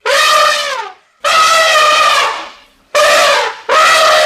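An elephant trumpets in loud, brassy blasts, each held for about a second.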